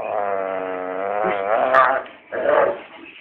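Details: A Dobermann going mad, very excited; a long tonal whining howl with stacked harmonics, wavering and then breaking off, followed by a shorter, rougher whine.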